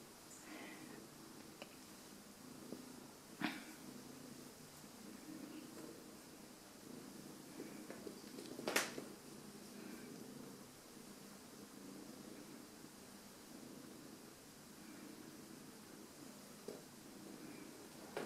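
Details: Domestic cat welcoming its owners home inside a small room, purring continuously in a low, even rumble for the whole stretch, with a few faint clicks and rustles and a brief sharp knock near the middle.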